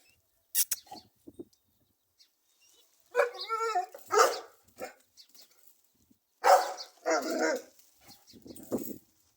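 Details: Dog barking in short bursts with harmonic, slightly wavering yelps, a few isolated barks then clustered double barks around the middle and end, quiet gaps between.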